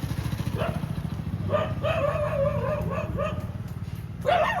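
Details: Street dogs in Molachur village near Chennai, Tamil Nadu, 19 April 2026, giving a run of quick yelping barks with a louder yelp at the end, partly masked by a steady low throbbing motor rumble.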